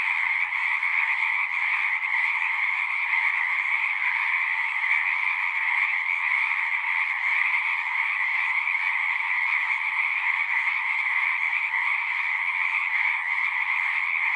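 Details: Chorus of many frogs at a pasture pond, recorded with a Zoom 6: a constant, even buzz of countless trilled calls layered in high and middle pitches, holding steady for the whole length without pauses.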